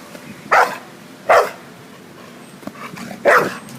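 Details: A dog named Lemmy barks three times, each bark a short, sharp burst spaced about a second apart, with a quiet pause before the last one.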